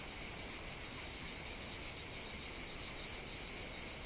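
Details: Chorus of cicadas singing on a hot summer day on the Greek island of Evia, a continuous dense buzzing hiss with a bright high band and a weaker lower band, steady without breaks.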